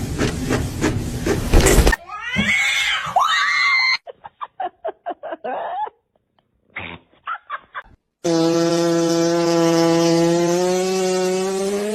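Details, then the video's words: Domestic cat in a funny-cats compilation giving several rising-and-falling meows, followed by short choppy clipped bursts, a brief silence, then a long steady drawn-out tonal wail; edits cut abruptly between the sounds. "funny cats talking"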